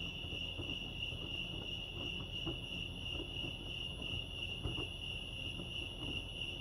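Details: High, unbroken trilling of crickets at Lake Arrowhead, California, a constant pulsing shimmer set against a low rumbling backdrop with a few soft clicks.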